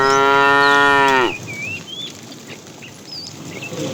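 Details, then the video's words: A fat cow among a herd of tame cattle, calling the female in the afternoon: a steady, strongly harmonic moo lasting just over a second that drops sharply at its end, followed by bird whistles. "The funny sound of a fat cow calling the female"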